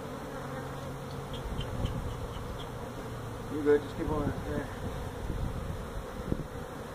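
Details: Honey bee hive removal from a tractor tire in an orchard tire stack, Mission, Texas: a thick, continuous buzzing of many feral bees, swelling briefly in the middle, with faint voice traces.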